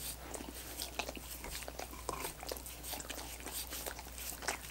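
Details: Coconut water popsicles being licked by dogs: busy, moist lapping clicks packed closely together, some louder smacks near the one-second mark, over a constant low electrical hum.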